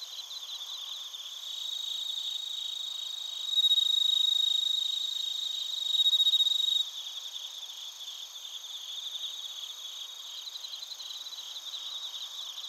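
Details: Bell crickets and other crickets in Narita, Chiba Prefecture, Japan, on a TASCAM Portacapture X8: steady high pulsed chirping, interrupted mid-clip by two louder stretches of pure ringing tone, then rhythmic chirps resume.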